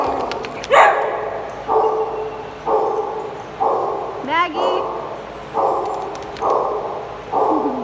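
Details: Dogs playing in a small group: a run of about eight loud, rough barks spaced roughly one second apart, with a quick rising-then-falling yelp in the middle.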